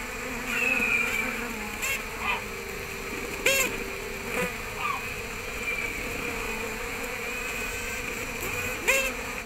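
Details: Western honey bee stop signals: a scout from one nest site butts her head against a dancing scout from another site, recorded by a nearby microphone. Brief high-pitched beeps with harmonic stacks, at about 3.5 and 9 seconds, over a steady hive hum.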